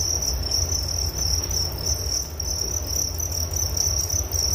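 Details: Chirping crickets recorded as a soothing sleep sound: a bright, continuous high-pitched trill with slight wavering pulses, set over a steady deep background hum.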